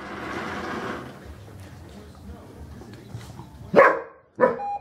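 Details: Rhodesian Ridgeback Alisa during training with a Manners Minder: after a stretch of low murmuring voices and room noise, two sharp, loud barks come about half a second apart near the end.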